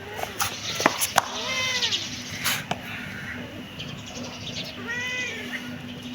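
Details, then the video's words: Kitten giving high, bowed mews, a few spaced over six seconds, with sharp taps and a constant low hum in the background. "Cute kitten meowing"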